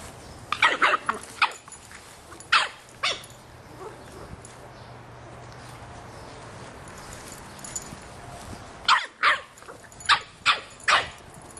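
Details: A 3½-month-old Boston Terrier puppy barking at a soccer ball: sharp, high yappy barks in quick clusters near the start, a few more around two and a half seconds, then another rapid burst of six or so toward the end.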